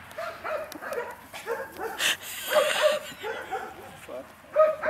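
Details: An H litter of four puppies, two males and two females, eight weeks old, yipping during play: repeated short squeaky yaps in loose bursts, one louder at the end, with scuffling and a brief noisy rush midway.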